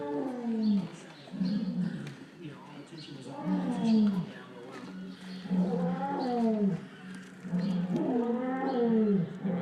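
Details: Lions outdoors at The Wild Animal Sanctuary give deep, moaning roars that rise and fall in repeated bursts while people talk nearby.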